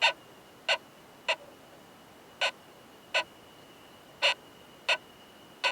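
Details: Hard, ringing "kan" clicks from a male Oomadarakokunusuto beetle mating with a female, found in a high-mountain pine forest. Eight loud, evenly spaced taps come about one every three-quarters of a second, with a thin steady high tone behind them.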